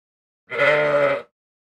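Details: Ram bleating: one steady, rich, nasal bleat lasting under a second, even in pitch and loudness throughout, with silence before and after.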